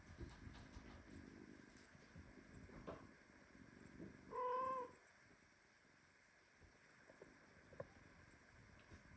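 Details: Premature kitten meowing indignantly while squeezed tightly in a hug by its mother cat, indoors with other kittens and mothers; one clear rising-falling meow of about half a second midway, surrounded by faint rustling and shuffling.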